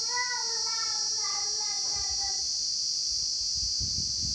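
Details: Crickets drone loudly and steadily at daytime in the rain, with a high-pitched, unbroken hum, while a child's voice briefly rises over it.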